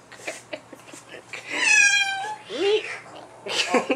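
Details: Indoor cats, a black-and-white mother turning hostile toward her black offspring newly back home; after soft speech, a loud harmonic meow holds steady for about a second, then a shorter rising-falling wail, with tapping and breathy noise around it.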